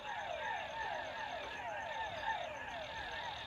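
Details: In Ecuador at bedtime, the nightly frog chorus plays, with many frogs giving brief, downward-sliding notes layered into a steady, pulsing chorus that lasts all night, and crickets trill thinly and constantly underneath.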